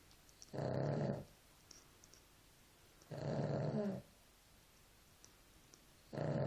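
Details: Sleeping dog, named Nela, gives gravelly low snores, one about every two and a half seconds, three breaths in all, quiet between them.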